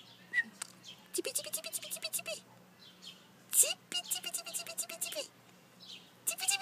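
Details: Collie puppies whining in a run of drawn-out, wavering tonal cries, each rising then levelling and falling, repeated several times with short gaps and broken by sharp clicking noises.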